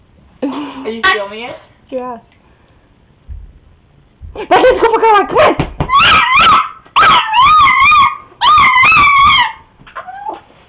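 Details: Chihuahua, a pet dog indoors, howling when excited: after people speak briefly, a run of drawn-out, wavering, yodel-like howls rising and falling, in three long bursts.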